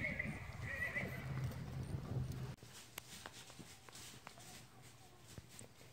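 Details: Sorrel Tennessee Walking Horse mare, about 15 years old, whinnies for over two seconds in a loud, quavering neigh with stacked harmonics, then breaks off abruptly, leaving soft hoof clops and scattered knocks.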